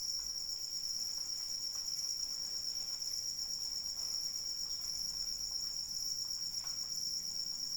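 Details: Continuous high-pitched cricket trill, even and unbroken, with a fine rapid pulse, set against steady gentle rainfall.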